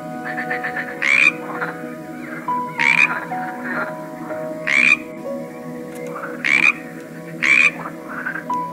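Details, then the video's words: Various frogs croaking: five sharp, buzzy croaks arriving every one and a half to two seconds, interspersed with fainter pulsed chatter, all over a steady layered drone of sustained low tones. "A cool collection of various frogs - Croaking sounds"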